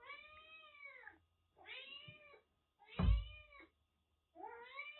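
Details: Rescued kitten Jura, recovering from cat flu after being found soaked in record heavy rain in western Japan, kept indoors in Kagoshima: four clear, drawn-out harmonic meows, each bending slightly downward, spaced by short silences, with faint low room rumble.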